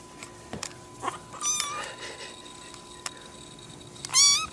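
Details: Domestic cat meowing from hunger indoors. A thin, rising meow is followed later by a louder, sharp, high-pitched meow, with scattered clicks and soft household noise in between.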